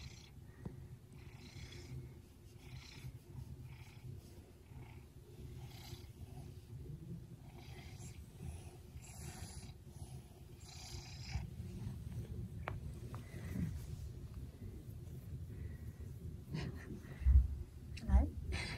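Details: A tired red smoke Maine Coon, 19 months old, resting in his favourite bed on a stormy afternoon, gives a quiet purr too weak to reach full volume: a low, continuous throbbing rumble with occasional soft knocks near the end.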